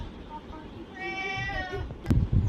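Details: Domestic cat, hungry and begging for food, gives a single clear tonal meow of about a second with a level then sagging pitch, followed by sharp clicks and a person talking in Bengali.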